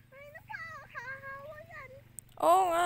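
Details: Goat being given a drink; a human voice with wavering tones comes first, then a loud, quavering, strongly vibrato bleat in the final half-second that stands above the rest.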